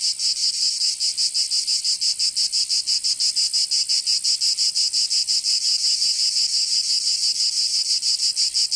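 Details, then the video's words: High, sizzling cicada song from Provence in the south of France in summer, a fast, very regular pulsing buzz around three beats per second, steady throughout. "Canto Cigarra"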